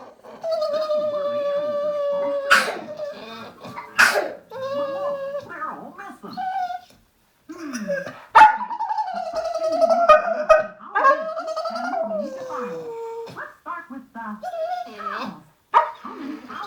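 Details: Blue Staffordshire bull terrier male whining, said to be love sick when a female is in season: long high tonal whines, steady then bending and sliding down, broken by sharp clicks and pauses, with children's voices and a television in the background.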